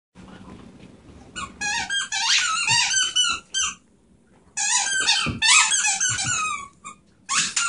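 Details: Beagle/Terrier mix rescue dog indoors, giving rapid high squeaky whines and yelps in bursts of about a second, with a pause in the middle and a quieter stretch at the start.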